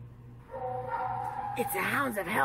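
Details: Tonka, an Alaskan Malamute, reacts to a Bigfoot recording: a long steady drawn-out tone, then wavering, rising-and-falling whining yodels in quick succession, with a low hum underneath.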